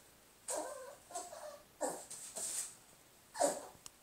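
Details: Lola, a pet dog indoors, reacting to her own reflection: short whining yips and whimpers, one tonal and wavering, followed by breathy sharper yaps in quick succession.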